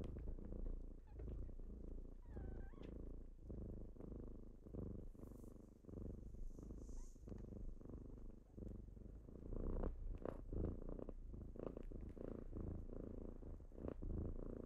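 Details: Purring from kittens waking someone up in the morning, a deep continuous rumble pulsing with each breath, occasional soft rustles and light taps over the low drone.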